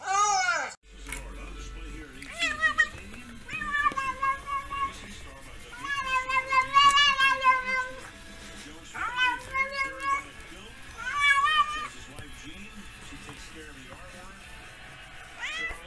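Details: Domestic cat making weird noises: a series of wavering, drawn-out meows and short chirping cries over about fifteen seconds, with human voices and faint music in the background.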